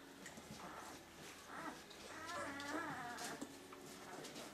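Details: Puppies in their second week of life, from Limit's litter of thirteen, letting out a run of wavering, tonal whimpers that swell in the middle, over indoor background noise.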